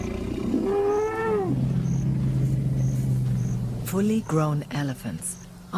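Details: Lions of a Luangwa pride in Africa, youngsters playing rough: two drawn-out, moaning growls with strong rising-then-falling harmonics, the second broken into short snarls, over a steady low musical drone.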